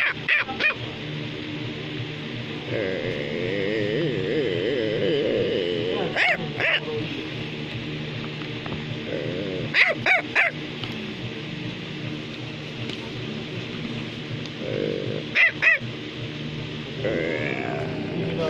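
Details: Bichon Frisé, a small toy dog breed, in a household with another dog named Baloo. A few scattered high barks, some in quick pairs, rise above continuous background music, with long quiet stretches between the outbursts.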